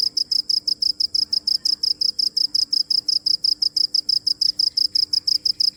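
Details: A cricket chirps in a steady train of sharp, high-pitched pulses, about five each second, evenly spaced throughout, over a quiet, faint background hum.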